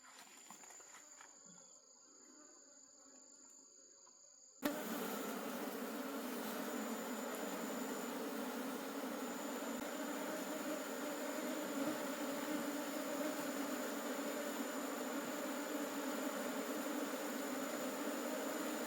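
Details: Wild honey bee colony in a forest during a wild honey harvest. Quiet opening with a thin high insect tone, then a sudden loud, dense, steady swarm hum with low droning bands that continues to the end.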